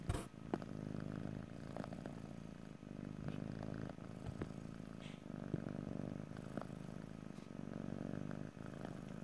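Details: Domestic cat purring steadily, a low continuous rumble with faint breath-linked swells and a few soft clicks and rustles, recorded close in stereo with no talking.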